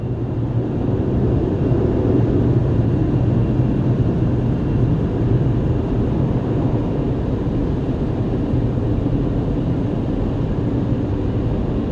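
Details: Loud, continuous rumble of water spraying and machinery during an automatic car wash, with no distinct animal voice audible.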